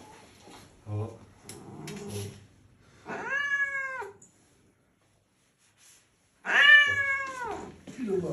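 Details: Loud angry cat giving two drawn-out, slightly falling meows several seconds apart, with brief speech and small indoor sounds before them.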